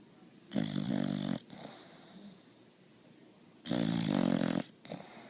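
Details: Sleeping Boxer puppy giving two long, loud, raspy snores about three seconds apart, each near a second long, followed by a brief softer snort.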